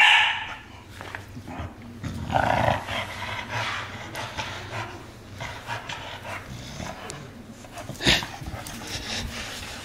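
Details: Aubi, a pet dog, growls while playing tug of war in a small room: a rough, rumbling growl swelling around the second and third seconds, with rustling, panting and a brief sharp click near the end.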